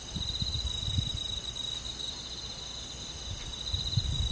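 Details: Summer-night countryside crickets with insects of the forest, a continuous high-pitched shimmering trill running unbroken, with soft low rumble and occasional dull knocks underneath.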